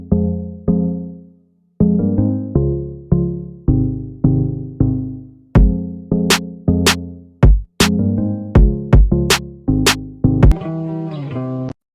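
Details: Electronic music with a drum machine and synthesizer chords that pulse in short, repeated bursts; no snoring or other animal sound.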